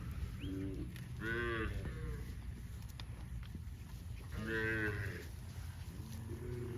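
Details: Dozens of tame cows running happily in green grass rice fields on a cattle farm; two clear, rising-falling moos about three seconds apart, with softer low lowing between them over a rumbling background.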